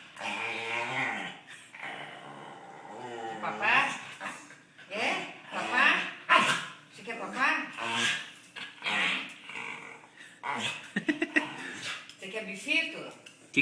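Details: Dog wanting a snack gives a near-continuous run of groaning, grumbling, almost speech-like vocalizations with wavering pitch and occasional sharp bark-like bursts, while a person talks alongside.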